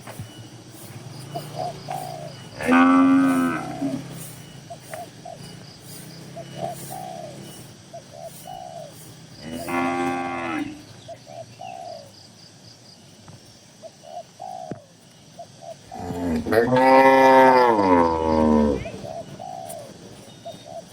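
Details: Dozens of tame cattle crowded in a farm barn give three drawn-out, low harmonic moos about seven seconds apart, the last the loudest and longest, with soft cooing notes and quiet barn background in between.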